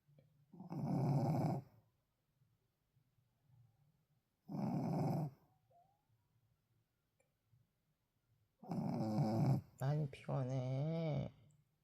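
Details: A sleeping Shih Tzu, described by its owner as very tired, snores in low, rattling breaths about every four seconds while a soft human voice talks to it.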